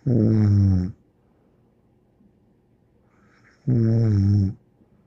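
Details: A dog named Bear snores in two drawn-out, low buzzing breaths nearly a second long, separated by about three seconds of near silence indoors.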